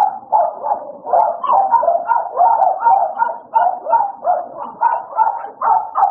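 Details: American Bully dogs Idol and Alice at playtime: steady, rough barks and yips follow one another almost three per second without a break.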